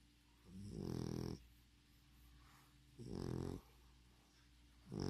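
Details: English Bulldog named Spike snoring: deep, rough, rattling snores about a half second long, recurring roughly every two seconds with quiet breathing between, indoors with a steady low hum in the background.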